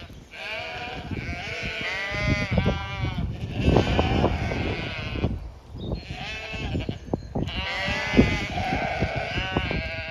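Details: A flock of eighteen Zwartbles sheep (Ovis aries) on a regenerative farm in County Kilkenny, Ireland, in daffodil season, bleat in wavering, overlapping calls to each other as the farmer arrives, clamouring to be fed.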